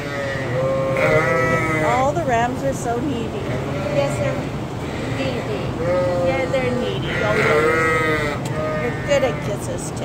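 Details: Lambs and sheep on a farm giving wavering, nasal bleats every few seconds over a steady background of human talking and farm noise.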